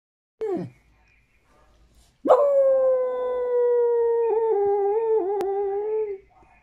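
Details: Pet dog crying for a tamal: a short falling yelp, then a long steady whining howl held about four seconds, slightly wavering near its end.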